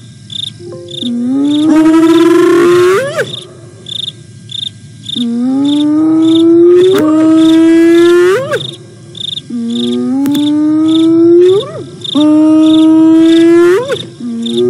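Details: Hyenas Aggro and Spoon, visiting a camera site in South Africa's Sabi Sands Reserve on 08 09 2022, contact calling: a series of three long, low whoops, each sliding upward and ending in a sharp rising flick, while crickets chirp steadily behind.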